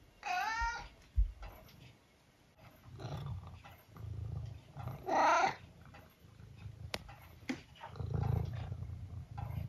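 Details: Eric, a 12-year-old tabby cat from the UK, gives two clear, drawn-out meows about five seconds apart, each with a rising and then falling tone. Soft household bumps and rustling fill the gaps between them.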